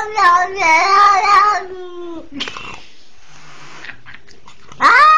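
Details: Cat that was attacked as a young kitten by a pitbull on a leash, now wailing for help: a drawn-out yowl sliding downward and fading, a quiet gap with faint rustling, then a sudden loud new cry.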